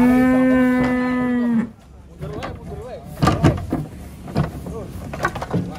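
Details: One long, level moo of about one and a half seconds from giant cattle coming down off a truck, then men talking and knocking sounds.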